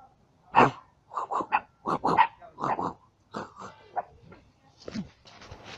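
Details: Yard dog puppies met along the way while traveling, reacting as they are approached: a quick run of short gruff yaps and growling barks, each one clipped, then softer rustling noise toward the end.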